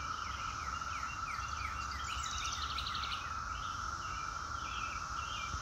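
Cicadas hold a steady, unbroken droning whine, with small birds chirping and twittering over it.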